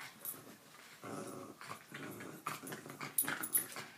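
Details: Jack Russell Terrier growling while playing tug with a toy indoors; rough, rumbling growl bursts in uneven pulses, broken by scuffling and thumps of the tug game.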